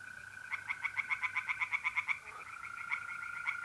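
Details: Night chorus of tree frogs at a North-East Italian pond in mid-April. Rapid, regular croaking pulses come about four per second for a couple of seconds, pause, then resume. An unbroken mole cricket trill runs throughout.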